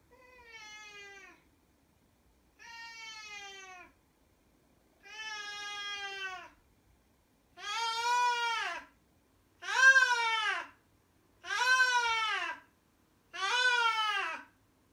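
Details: A nearly 17-year-old blind female Siamese cat howls in long, drawn-out wails, each about a second long, growing louder. She began this baby-cry-like howling 4–6 months ago and does it 8–10 times daily, anywhere; the owner doesn't know why.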